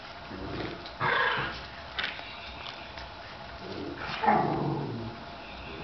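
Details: Cairn Terrier puppies at a breed kennel in Brazil give two short, high yelps a few seconds apart over a steady background hiss.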